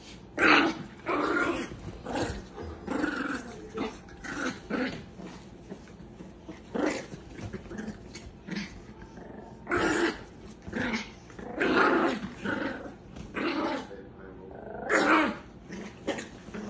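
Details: Chihuahua growling in repeated rough, noisy bursts of one to two seconds with short pauses between, the intensity rising and falling, alongside human voices and laughter in a small indoor space.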